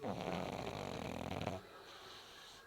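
A pug lets out a loud, rumbling snore, a rough rattling inhalation with buzzy vibration. After about a second and a half the sound drops away to soft background hiss.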